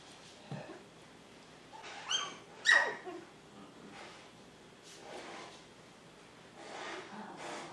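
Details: Seven-week-old Poodle puppies Honey and Emma, a honey-coloured pup and one with black highlights, give a pair of short, high, whining yelps close together, with a few fainter squeaks and soft indoor rustling around them.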